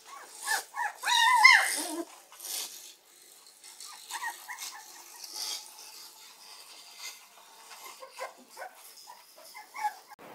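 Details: Akira, a Shiba Inu puppy under six weeks old, lets out a loud wavering yelp that drops in pitch, followed by scattered small squeaks and faint shuffling.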